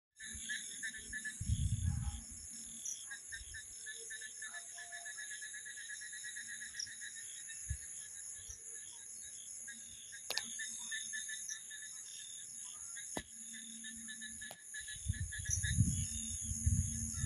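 Crickets and other night insects trill steadily in high, pulsing bands, with occasional low rumbles.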